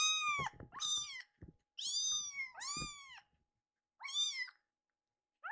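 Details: Hungry rescued baby kittens, two of them, angrily meow indoors while waiting for late milk: five clear, bent, high meows of varying length in quick succession, with soft clicks and taps between them.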